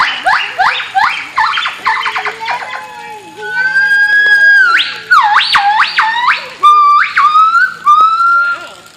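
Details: Duet of two white-chested gibbons: a fast series of sharply rising whistled notes that speeds up and climbs, then longer upward-sweeping hoots and a steady drawn-out whistle, all bright and harmonic-rich.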